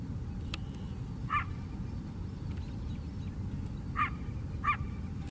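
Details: Coyote barking in a lakeside park on Chicago's south side: three short, sharp yelping barks, one alone and then a pair about half a second apart, over a steady low city rumble.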